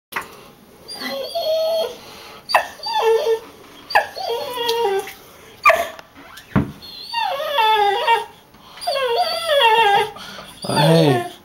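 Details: Rocky, a pet dog, whimpers impatiently indoors while waiting to leave for the dog park: a run of high, wavering, falling whines and yelps in bursts, with a brief sharp cry at the end.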